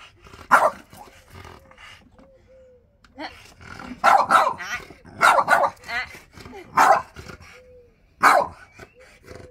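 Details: French Bulldog arguing with his owner over his chair: loud, harsh bark bursts at irregular intervals, separated by short, thin whining tones and quieter grumbles.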